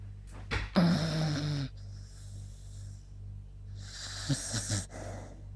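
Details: Sleeping beagle Yuta, tired from a walk, makes a droning nasal snore, then a lighter breathy exhale broken by small snuffling snorts, against a steady low background hum.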